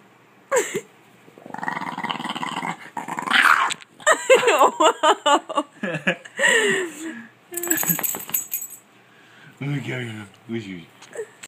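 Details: A female French Bulldog with a film on her face grumbles and whines in drawn-out, throaty bursts, the noises these dogs make when annoyed.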